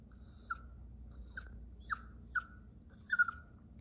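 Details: Chihuahua named Belle Belle crying when left at home as her owner goes out; short high whines that slide downward, five in under four seconds, irregularly spaced, over a quiet indoor background.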